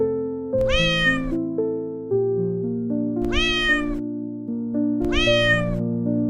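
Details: Cat giving three long, evenly spaced meows, each bright and harmonic with a slight rise and fall in pitch. Soft piano chords continue beneath the calls throughout.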